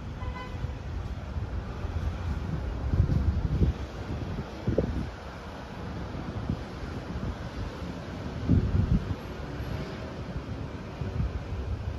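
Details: Outdoor street noise is heard, with wind rumbling on the microphone, distant traffic and a few low gusty thumps, but no animal calls.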